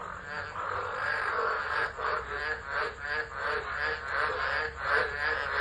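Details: Frogs in full chorus in a tropical storm at Driver, Northern Territory, Australia, on 13 December 2013, captured on a phone set down and left: continuous overlapping raspy croaking pulsing about three times a second, rising and falling in loudness.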